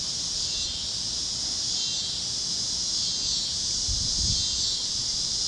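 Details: Cicada chorus at sunset over the fields of Kansas on a warm great-plains evening, a steady shrill buzz with soft undulations and a short low rustle near the end.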